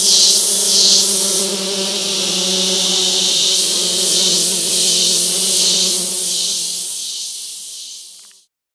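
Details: Male orchid bees in forest on Barro Colorado Island, gathering scents at a paper towel on a limb; continuous high buzzing with rhythmic swells and a lower droning hum, fading out abruptly near the end.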